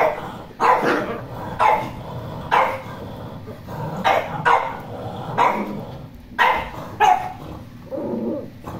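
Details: Poodle giving about ten sharp, clipped barks, roughly one per second with short pauses between, and a softer lower bark at the end; faint room background.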